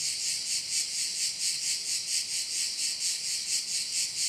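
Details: A cricket chorus at a bay on Korčula forms an even, shimmering high buzz, throbbing in soft regular beats roughly twice each second, with no other sounds standing out.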